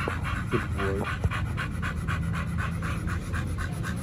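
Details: Rhythmic rapid panting from the dogs Oliang and Nomyen, kept at a dog hotel and fed a raw diet, with a short thin whine early on. Breathy pulses keep an even pace throughout.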